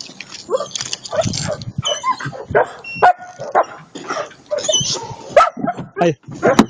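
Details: Attila ot Salmoxis, an eight-month-old German Shepherd puppy, gives a busy run of short yipping barks and whines packed closely together, with people talking over much of the sound.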